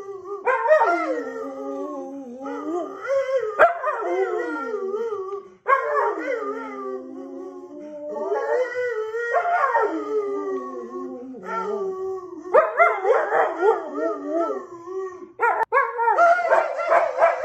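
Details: Orvi the husky-boxer mix dog trading howls with his owner in a contest: a long run of wailing, wobbling howls in repeated swells with brief gaps and a few sharper yelping onsets near the end.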